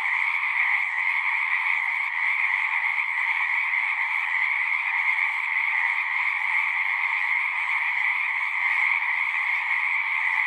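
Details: Many frogs call at once from a pond in a horse pasture, taken with a Zoom 6: a constant wall of shrill trilling with slight pulsing swells, unbroken from start to end, with only faint low rumbles beneath.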